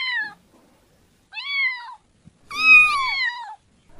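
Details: Three clear kitten meows, the last longest and loudest, rising slightly then falling, with near silence between calls.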